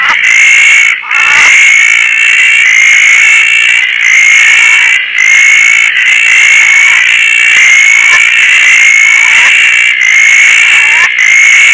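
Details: Roth's tree frogs at night in Koah, enjoying rain and lush growth on a tarp, with many other frogs around; an unbroken shrill chorus swells and dips about once a second, with brief sharp knocks near the start.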